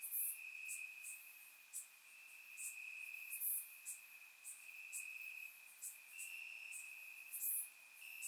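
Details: Night chorus of crickets in Bulgarian grass on a warm summer night, surround-recorded: a constant high-pitched ringing drone, overlaid by frequent short, very high chirps popping out several times per second in uneven bursts.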